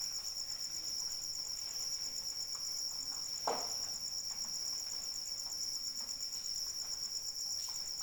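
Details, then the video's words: In the rain, a cricket keeps up a shrill, rapidly pulsed trill. Soft patter runs beneath it, and one louder drop splashes about midway through. "Suara Hujan dan Jangkrik Pengantar Tidur"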